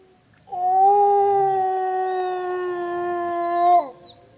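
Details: Preserve wolf howling in the snow: a single sustained, steady-pitched howl lasting about three seconds, ending with a quick downward slur.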